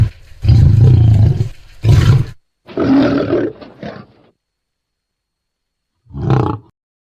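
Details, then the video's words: Wild lions roaring loudly: deep, rumbling roars in two long bursts, then a rougher, grunting roar and a short final roar after a silent gap. "Som de leões rugindo alto,lion roaring loud"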